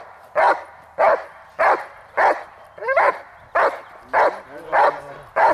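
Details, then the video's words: Dog barking during a protection training session on the hold and bark, May 19, 2020. Nine forceful barks repeat at a fairly even pace, with a brief rising whine-like yelp near the middle and quiet gaps between them. "Hold & Bark"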